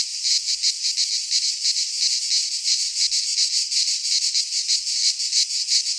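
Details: Midsummer cicada chorus in pine forest in Greece, a loud, shrill, unbroken buzz throbbing in quick regular swells roughly three times per second; nothing else audible.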